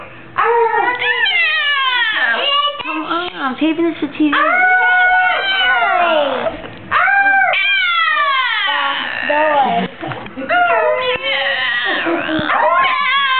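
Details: Patches, a female pet dog, howls along indoors while being encouraged: a series of bending, sliding wails in bursts, some steady held notes, brief gaps between phrases, and a person talking softly.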